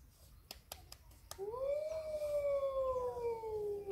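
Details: Hudson Bay wolf, a gray wolf subspecies, held at a zoo in Targu Mures, gives a smooth howl that rises quickly, then slowly glides downward and fades, after a few sharp clicks.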